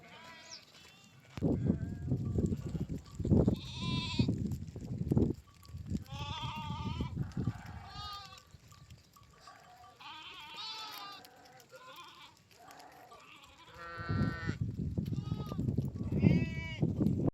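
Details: Sheep running together with goats: a flock giving many overlapping quavering bleats, some high and nasal, others lower, coming in irregular bursts over a steady low rumble of moving animals.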